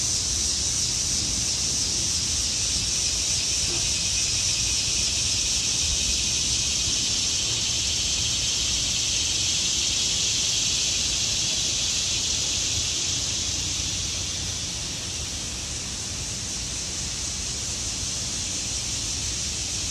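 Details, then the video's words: Cicadas in autumn trees produce a continuous sizzling buzz high in pitch, steady for most of the stretch and dipping slightly near the end, with low background rumble. "(( Cicadas )) sounds in the trees Autumn"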